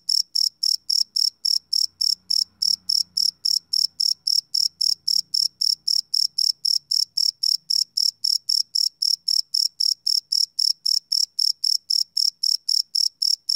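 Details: A cricket chirps steadily at night, each high, pure pulse repeating several times a second; recorded live without loops.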